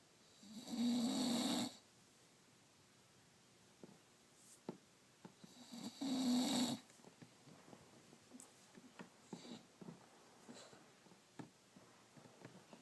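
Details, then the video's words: BubbaBoy the bulldog snoring while asleep indoors: two long, loud, rasping snores with a low droning buzz, about five seconds apart, and soft breathy snuffles and small clicks in between. "Bulldog snores"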